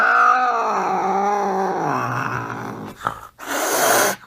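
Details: Angry cat giving a drawn-out, harmonic, moaning yowl that slides gradually downward in pitch over about three seconds, followed by a short click and a burst of harsh, breathy hissing noise.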